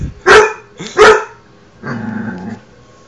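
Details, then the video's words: Dog barking at himself: two quick sharp barks in close succession, then a brief low whine or growl. "my dog barking at himself"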